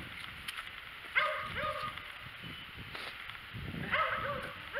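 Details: Meowing white cat out in the snow: short, slightly falling meows come in quick pairs near the start and again near the end, over rustling, crunchy movement noise.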